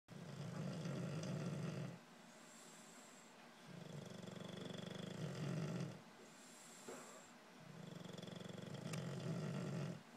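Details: English bulldog female, exhausted after just having puppies, snores very loudly in long, deep, rumbling breaths with short quiet pauses between them.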